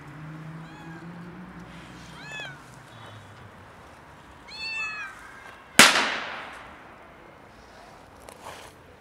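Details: Cat stuck on a roof meowing for help getting down: three bursts of rising-then-falling harmonic meows, a low voice murmuring at the start, then a sudden loud bang that slowly fades.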